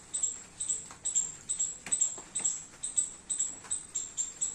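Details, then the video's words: Squirrel in a garden, eating baby coconuts in the rain: high, sharp chipping notes repeated about twice a second, roughly ten in a row, over soft clicking patter. "Squirrel making sound eating baby coconuts and enjoying rain in my garden"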